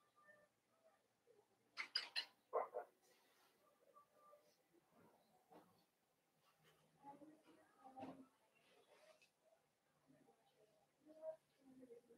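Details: Five blenheim Cavalier King Charles Spaniel puppies, born on New Year's, in the Red Barn Cavaliers indoor puppy pen: short high squeaks and thin whining peeps come in scattered bursts, with a few sharper yelps early on and soft rustling between.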